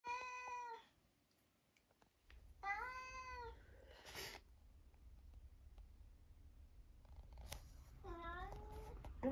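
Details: Eric, a very vocal 11-year-old semi-long-haired male tabby cat living in Britain, gives three separate harmonic meows spaced several seconds apart, with a man's voice and some bumps between them.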